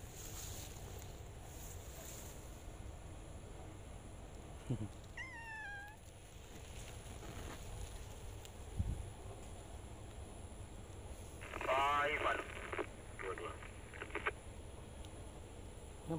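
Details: John, a cat looking for a female, outdoors in the afternoon: a falling drawn-out meow around five seconds, then a louder, harsher, harmonic-rich meow near twelve seconds, with human speech and steady background hum.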